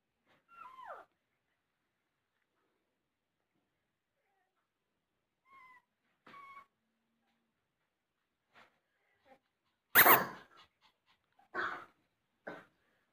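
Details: A golden Cocker Spaniel puppy gives thin, falling whines and short high yelps, with a loud knock between them.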